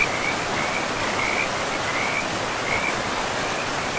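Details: Frogs along a river in deep forest trill faintly in short high pulsed phrases, partly masked by the strong even roar of running water.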